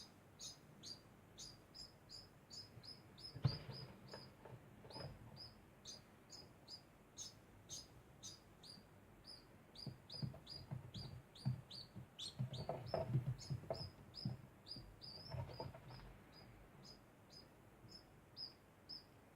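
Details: Constant degu chirping, a steady run of quick, high, squeaky notes at roughly two or three per second, with rustling and knocking sounds joining in toward the middle.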